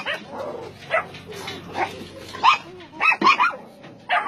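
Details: Barking from dogs on a meat farm cum puppy mill in Nonsan, South Korea, in January 2017: scattered sharp barks, a few loud ones near the end, over a murmur of voices and background noise.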